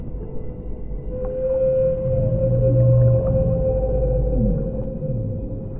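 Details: Underwater whale song: a long steady mid-pitched tone with brief falling sweeps and low groans beneath, set in continuous murky water rumble.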